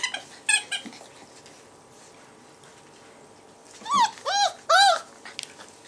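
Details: Young puppies from the Hondenpaleis A-litter, their mother's milk blocked, let out a quick run of three loud arched whining squeals near the end, preceded by a couple of fainter thin squeaks and muffled shuffling.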